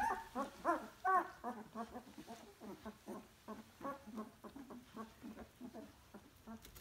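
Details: Litter of puppies two weeks old, squeaking and whimpering in rapid short bursts, roughly two or three per second, some notes sliding upward into brief shrill yelps, several pups calling together.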